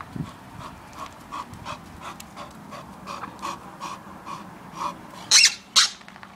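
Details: Female Bull Terrier Valen playing outside with her toy: steady rhythmic panting, roughly two breaths per second, then two loud sharp squeaky bursts near the end.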